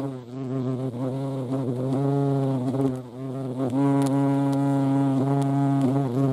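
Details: Hornet (Vespa crabro) hovering at a feeding spot in the Eifel region; rich droning buzz, dipping briefly in pitch around one and three seconds, then holding a steady, strong tone.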